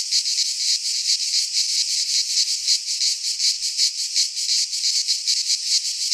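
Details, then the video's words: Cicadas in full midsummer song among Greek pines: an intense, sizzling high-pitched whir beating in fast rhythmic waves, near three a second, and no other sound. "Cicadas singing in midsummer - Nature sounds from the Greek fauna - Sounds of cicadas"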